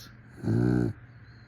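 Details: One brief, coarse, vibrating snore from a sleeping dog, about half a second long, rising out of a quiet room with a low background hum.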